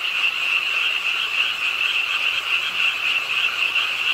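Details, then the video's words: Frogs calling at a pond edge in Suwon's Ingye Art Park on a rainy late night, a dense continuous chorus of rapid high trilling croaks, roughly three per second, with steady rain hiss underneath. "비오는 밤 개구리소리, Do you hear the frogs? 비오는 밤 공원 연못 추억의 개구리 소리, Frog Sounds, 빗소리와 함께 듣는 개구리 우는 소리"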